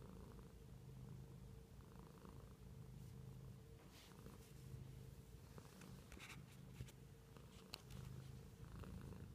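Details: A pet cat purring indoors: a steady low rumble that pulses in gentle waves throughout, with a faint constant hum above it and a few soft clicks and rustles near the middle.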